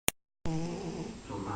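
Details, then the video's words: Sleeping cat snoring: after a sharp click and a pause comes a single low, buzzy, droning breath lasting just over a second. "cat snoring"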